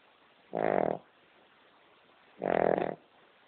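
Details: Female King Charles Spaniel sound asleep indoors, snoring loudly: two rasping, buzzy snores about half a second long, roughly two seconds apart, with quiet room hiss between them.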